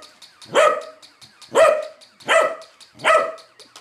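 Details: Corgi barking fiercely at a moving toy corgi: four loud, harsh barks about a second apart, with faint rapid clicking between them.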